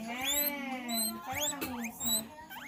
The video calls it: Guinea pig sounds